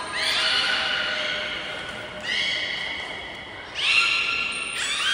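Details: Belugas in a training session with all animals taking part at Port of Nagoya Public Aquarium, 16 November 2024. Three bright harmonic whistle-like calls, each held steady and ending in a brief upward sweep, echoing in a large hall.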